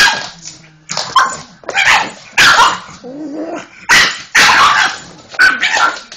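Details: Pug dog barking frantically at a vacuum cleaner (Hoover) indoors; harsh, hoarse repeated barks and growly yaps roughly every second over the steady whine of the running vacuum.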